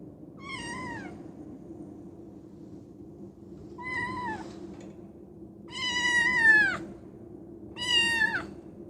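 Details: Shut in a cage and frantically trying to get out, Koume, a female fold-eared Scottish Fold born September 2020, gives four loud wavering meows, the third long and descending, with a steady low hum beneath.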